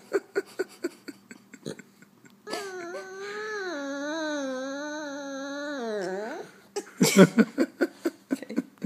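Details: French Bulldog giving a long, wavering, whining howl of about four seconds, pitch gently rising and falling before a quick drop at the end, framed by rapid tapping clicks before and after.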